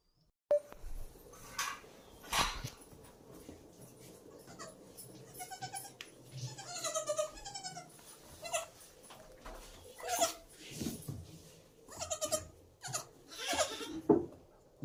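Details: Young domestic goat kids kept in a home goat-rearing venture at Shirvane, Dapoli, Konkan, India; wavering, harmonic bleats come in short bursts among knocks, rustling and human voices in a small room.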